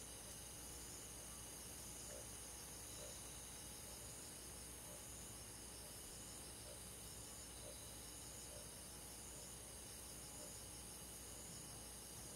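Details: Insect chorus led by crickets on a quiet summer night in the countryside forest: continuous layered high-pitched trilling, with soft pulses recurring roughly once a second beneath the steady shimmer.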